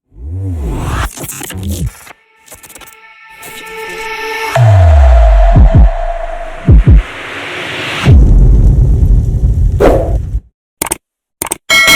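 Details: Loud electronic music with deep throbbing bass, sweeping drops and abrupt silent cuts plays throughout.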